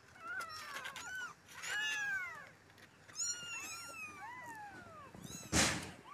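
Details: Abandoned stray kittens cry together, long sliding meows overlapping one another, some bending downward at the end, and a sharp crackling noise close to the end.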